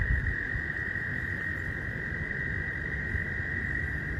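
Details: Frogs calling at a pond during mating season, heard up close by someone waiting nearby after work: an unbroken, steady high trilling chorus that holds one pitch throughout, over a low rumbling of wind or handling noise.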